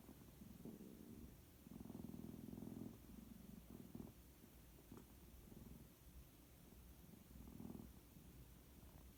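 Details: White cat asleep, producing strange sleep-talk or snoring sounds: soft, low, rattling pulsed bursts recurring every couple of seconds in a quiet room.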